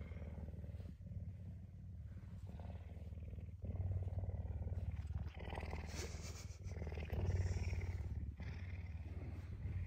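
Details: Very hungry puma seeking breakfast on a Tuesday morning, affectionate and up early; steady deep purr rising and falling in strength, broken by rustling movement.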